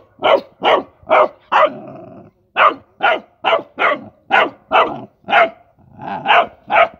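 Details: A playful Rottweiler puppy excited by mice yaps steadily and rapidly, high-pitched barks coming in a near-continuous stream, broken once by a short low growl.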